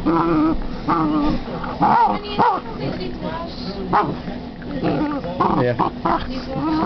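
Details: A female Basset hound playing with her new toy grumbles and yowls in wavering, harmonic bursts, with some human voice mixed in.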